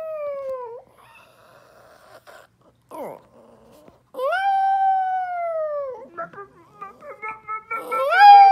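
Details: Lonely dog howling for its absent owners: a short howl, a few soft whimpers and a sharp falling yip, then a long sustained howl, followed by broken whines and a rising start of another howl.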